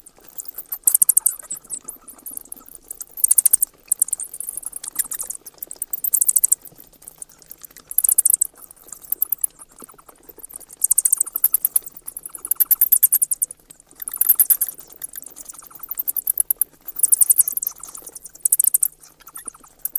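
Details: High-pitched bat chatter arriving in repeated dense bursts of fast ticking squeaks, separated by short quieter gaps throughout.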